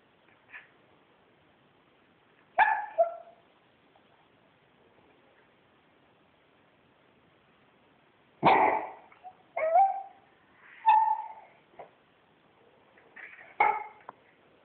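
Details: Domestic Corgi insisting on belly rubs, giving scattered short barks and yelping whines in irregular bursts, several in quick succession near the end, with quiet gaps between.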